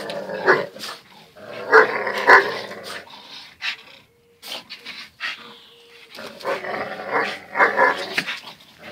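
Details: Two dogs, Zion and Tyson, locked in their fierce daily fight: rough harmonic growls and snarling barks in bursts, loudest near the two-second mark and again toward the end, with a brief quiet stretch and a faint steady hum in the middle.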